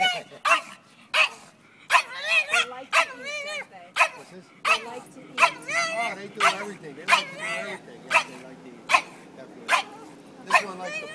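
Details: Martina, a dog on a Sunday walk in Old City, protests at carriage horses she dislikes; a long run of high, squealing yips and whiny barks repeats roughly every second amid street background.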